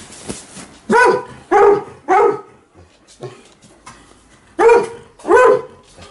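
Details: Alaskan Malamute and Golden Retriever at home in the morning, reacting loudly as their owner gets ready to leave: five loud, harsh barks in two bursts, three quick ones then two more after a quieter pause with softer yips.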